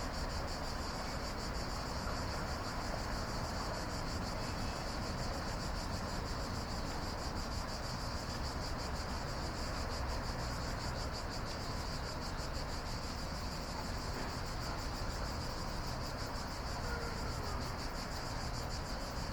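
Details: Night-time cicada chorus, an even, rapidly pulsing shrill buzz held for the whole stretch, with a continuous deep rumble underneath.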